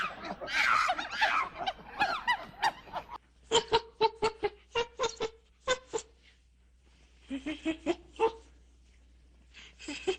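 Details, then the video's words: Monkeys in the wild: a loud, harsh, rasping scream fills the first three seconds, then a run of short, sharp, harmonic yelps repeated about twice a second in two bursts, with a quiet pause between them. "Monkey sound effect | Monkey sounds"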